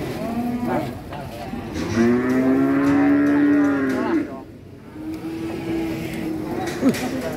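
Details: Angry cow rampaging as it runs off a truck, giving a long, steady, mid-pitched moo with rich harmonics, then a shorter one later, while men talk excitedly close by.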